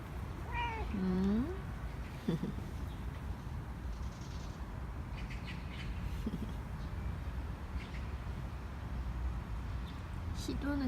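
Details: Korean shorthair cat Nacho, having already been given one churu, meowing for more treats as the owner comes home from work; a drawn-out meow that dips then rises near the start, a short second meow at the end, over low room hum.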